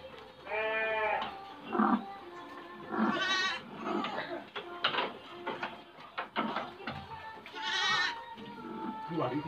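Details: Pen-kept F2 black-headed Dorper sheep bleat three times, wavering and nasal, near one, three and eight seconds, amid clattering, rustling and quiet music.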